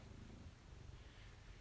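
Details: Maine Coon cat purring while being petted indoors during a live stream; a low, steady rumbling throb with no other clear sounds.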